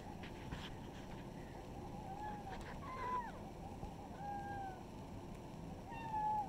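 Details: Kittens from a village, heard outside amid steady low rumbling noise, give a string of short, high mews, some level and one bending downward, spaced about a second apart with faint tapping sounds.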